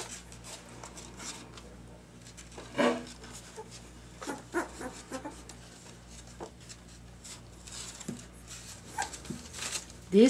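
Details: Two-week-old puppies wobbling about indoors on unsteady legs: scattered thin squeaks and short yelps over rustling bedding, one louder cry early on and a rising squeal right at the end.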